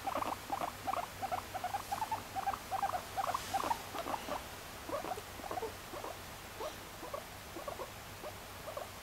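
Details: Pet female guinea pig Moru-chan, adopted aged one and a half in May 2019, makes rapid trains of short mid-pitched chut notes, close together and irregular, with a faint brushing noise midway, indoors without music.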